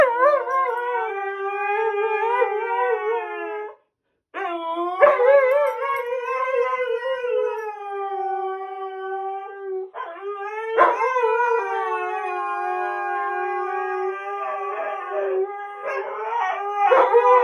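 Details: Two Siberian Huskies, a male and a female, howl in long, sustained, slightly wavering tones with a brief pause, vying for the last word, breaking into choppier yodels, yips and whines toward the end.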